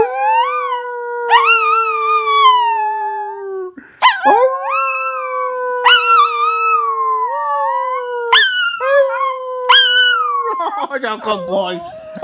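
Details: Repeated howls from a pup, about five in twelve seconds, each opening with a sharp upward yip, then holding a long, level, ringing tone, the sequence ending in rougher, noisier yelps.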